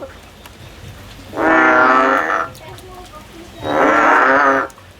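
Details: Song of a male frog in a field, two sustained, buzzy, droning calls of about one second each, separated by a pause of roughly a second, with little else audible.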